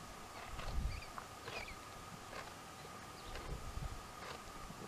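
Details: Two dromedaries, Jamahl and Laila, calmly chewing the cud; soft rhythmic crunching strokes about once a second over a steady low hum and faint outdoor background.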